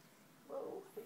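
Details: Two pet cats fighting indoors, Annie the tortoiseshell against Alvy the cream cat: a short nasal yowl of about half a second, then a brief second cry, over a quiet room hiss.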